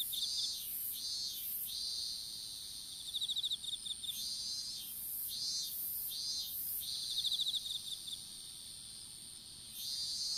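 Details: Strawberry field insects, recorded by a phone dropped while seedlings were planted outdoors: bright, hissing high bursts pulse on and off about once a second, joined by two quick rattling chirp trains near the middle.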